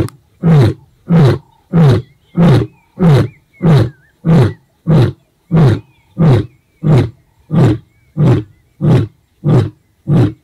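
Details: The ageing white male lion Casper of the four-male Shishangaan coalition roars toward the young Mayambula coalition of 5/6 males southwest of Satara (Sweni area), 2024, limping from a bite. Deep, throaty grunts come about every two-thirds of a second.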